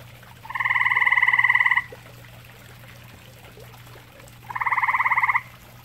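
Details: At a pond shared with common toads, a grey tree frog gives two rapid pulsed trills of over a second each, separated by a pause of several seconds. A constant low hum continues underneath.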